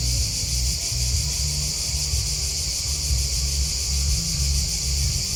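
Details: A continuous high, buzzy trill of chirping crickets, even and unbroken, over a regular low thumping rumble.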